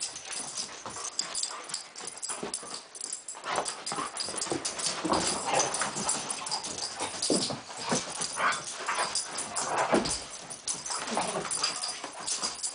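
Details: Poodles in a stalking game that turns into a play fight: rough, breathy grumbles and short yipping bursts come in irregular clusters, getting louder mid-way, with scuffling and thumping throughout.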